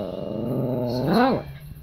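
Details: A dog howls like a coyote, a short, low, drawn-out howl that swells upward in pitch and then drops away, as a person says "coyotes."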